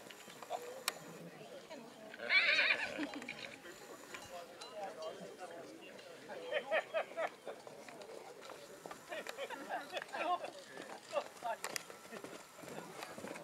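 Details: During a foal show of Black Forest draught horses at St. Märgen, 11 August 2022, a single high, quavering whinny rises above continuous crowd murmur and speech. Light hoof clatter and clicks follow through the rest of the recording.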